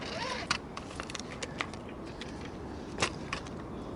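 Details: Sharp clicks, knocks and handling noises sound over a steady low rumble, with no animal voice. The scattered bangs suggest a vehicle door or gear being moved.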